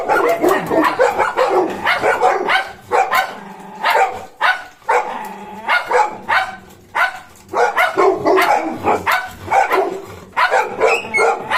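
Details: Barking from Golden Retriever puppy Cornell, companion and shadow of German Shepherd Bozo: dense volleys of quick yappy barks, pausing briefly before resuming, with a faint low steady hum in some gaps.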